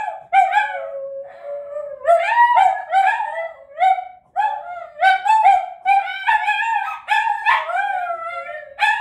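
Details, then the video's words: Several Italian greyhounds howling together, described as singing the song of their people. Overlapping wavering, tonal howls slide up and down, with breaks and fresh rising starts. "Italian greyhounds singing the song of their people"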